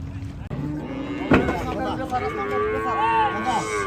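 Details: Gaiya cattle being unloaded at a cattle farm: a drawn-out lowing moo swells and holds steady through the second half, preceded by a sharp knock, with people talking nearby.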